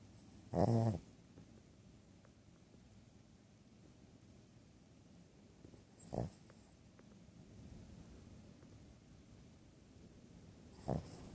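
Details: Female Shih Tzu, two years old, snores in her sleep despite past nostril surgery. A loud rasping snort opens the recording, then weaker snorts follow near 6 and 11 seconds over a low indoor background hum.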